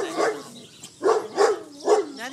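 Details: Schipperke dog guarding his steak bone in the back yard: three sharp, mid-pitched barks about half a second apart after a low growl, a voice murmuring faintly.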